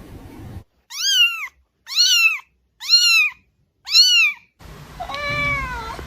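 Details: Cat meowing four times in quick succession, about one call per second, each bright rising-then-falling mew, followed by a softer, longer meow in a small, noisier room.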